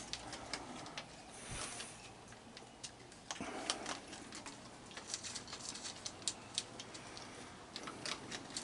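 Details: Rapid irregular clicks and sharp ticking taps, like a typewriter or clock, over a quiet indoor hiss, with no animal calls heard.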